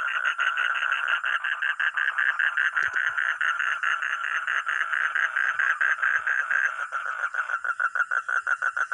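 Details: Frog or toad producing an unbroken, buzzy series of quick croaking pulses. The pulses become more clipped and separated near the end. A few faint clicks and a steady high whine are also heard.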